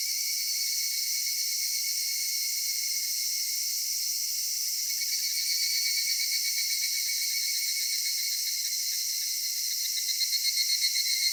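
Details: Cicadas in a cedar forest on a summer evening give a constant high shimmering drone; toward the end a pulsing rhythm of about four beats per second rises out of the chorus.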